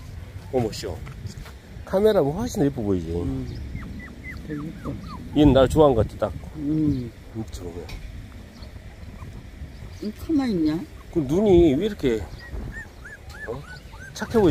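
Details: Young puppies, 24 days after birth, whine and yowl in rising-and-falling wavering cries, several overlapping bouts spread across the recording, with quieter squeaks in the gaps.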